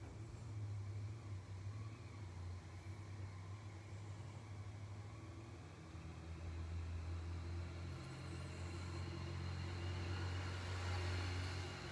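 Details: A steady low rumble of a vehicle engine runs throughout, with faint urban background noise and no animal voice.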